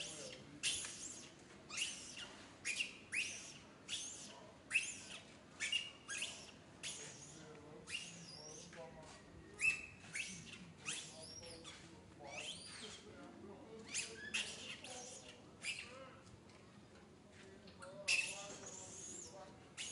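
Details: Little monkey Santo crying sadly in a bad mood while angry mother Sara ignores him: repeated shrill, noisy screams with arching high-pitched tones, bursts coming every second or so in uneven runs.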